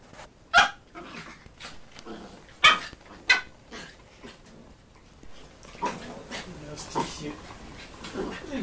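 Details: Schnoodle, a Poodle and Schnauzer cross, letting out several sharp, high barks at uneven intervals, mixed with a person talking and general household noise.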